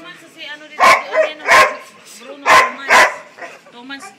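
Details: Labrador Retriever dog giving four loud, harsh barks within about two seconds, the last two close together, while a person talks softly in the background.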